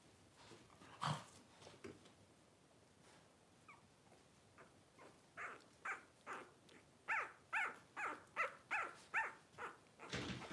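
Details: Twelve-day-old blenheim Cavalier King Charles Spaniel puppies from a litter of five, born at New Year 2023 to Paris and Spike, give a quickening run of short high squeals, about two per second, after scattered early peeps and rustling.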